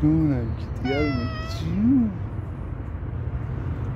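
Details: Worried stray tuxedo mother cat calling about her kitten while a tabby lurks close by. Three meows come in quick succession: two harmonic, slightly falling cries, then a shorter rising-falling one, over a low mechanical hum.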